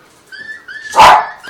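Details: Schnauzer, curious as a dog's crying plays from a mobile phone: a thin, wavering whine sounds first, then one sharp, loud bark about a second in.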